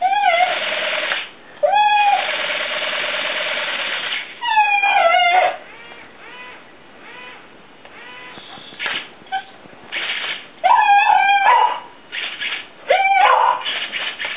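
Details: Fur-Ball, a female Soft Coated Wheaten Terrier, goes wild over a buzzing flying hornet toy that looks like a dragonfly. High, wavering whines and yelps break through the toy's steady motor buzz and bursts of noise.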